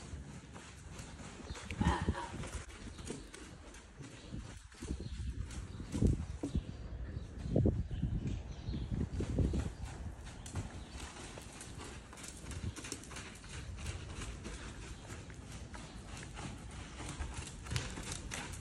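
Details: Two-year-old buckskin Quarter Horse filly lunging on dusty ground; dull low hoof thuds come in uneven bursts, strongest mid-clip, over steady outdoor hiss, with a little speech early on.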